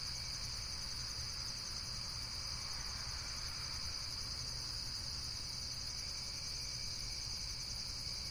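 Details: Continuous high-pitched insect trilling, dense and buzzy, several layered pulsing tones sustained throughout, with steady low background noise beneath.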